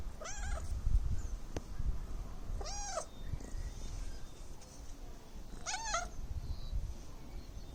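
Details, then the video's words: Domestic cat meowing three times, each a clear arched mew about half a second long, spaced roughly every two to three seconds, over low rumbling background noise. "Cute cat meow"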